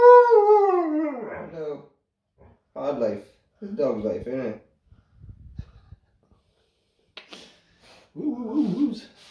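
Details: Large Alaskan Malamute puppy talking: a long falling whine-howl, then short broken grumbling and yowling bursts separated by pauses, with a final rising-falling moan; music plays in the background.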